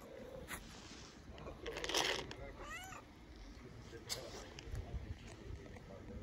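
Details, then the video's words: Tabby stray street cat in Istanbul meowing loudly, as if hungry; a short rising-then-falling harmonic meow follows a brief burst of rustling noise, with steady background hiss and a few faint knocks. "Beautiful cat meows loudly as if to say I'm so hungry"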